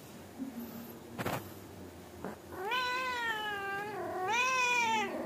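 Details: Angora mother cat nagging her naughty kittens to sleep quickly, cat and kittens talking together: two drawn-out harmonic meows, the second rising then falling, after a few faint clicks and knocks.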